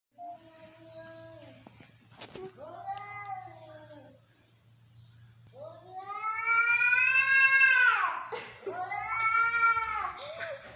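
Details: Angry domestic cats fighting: long wailing yowls with rich harmonics, rising and falling in drawn-out arcs, building to a loud, strained howl in the second half, with a faint steady low hum behind.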